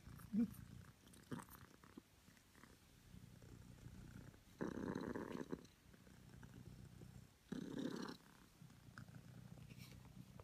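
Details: Cream self British Longhair cat named Honey purring in the morning, a faint continuous rumble punctuated by two strong, coarse surges lasting about a second, plus a few small clicks and rustles nearby.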